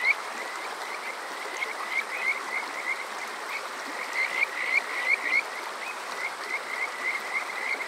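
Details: Kajika frog calling on a summer night at Water Park Shirayama, Yokoze, Chichibu, Saitama, Japan, recorded with a TASCAM DR-05X: runs of short, rising, whistled chirps repeated rapidly, swelling in the middle, over a steady hiss of flowing water.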